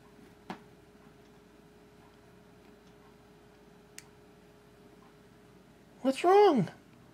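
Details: Pet cat Holly begs indoors for the laser toy with one loud, drawn-out meow that rises and then falls, stacked with bright harmonics, after quiet room ticks and a woman's voice asking what's wrong.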